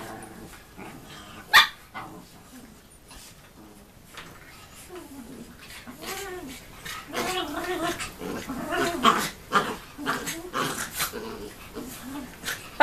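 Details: Schnoodle puppies, a Poodle and Schnauzer hybrid, playing as siblings try to pull off each other's clothes: a busy run of gargling growls, yips and short barks, building in the second half, with one sharp knock early on.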